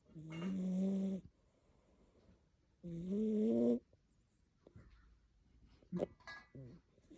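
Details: Chunky cat snoring loudly like an old lady, two drawn-out droning snores about one and a half seconds apart, followed by a few soft shuffling and clicking sounds.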